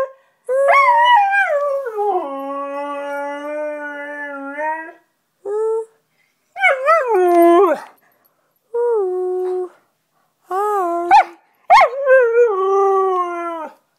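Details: Delta the Husky, recorded 25 Nov 2010 as her owner prompts her to sing, gives a varied run of howls: one long falling howl, then short yodelling rises and falls, brief flat notes and yips separated by silences.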